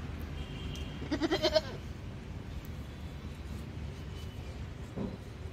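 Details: Goat kept in a mutton shop giving one short, stuttering bleat of about five quick wavering pulses that rise slightly in pitch, lasting under a second, over steady low traffic-like rumble.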